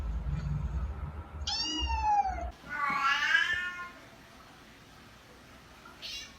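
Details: Domestic cat giving two different meows: a clear tonal meow with a falling tail, then a louder, harsher, drawn-out meow lasting about a second, followed by quiet room noise and a faint short sound at the end.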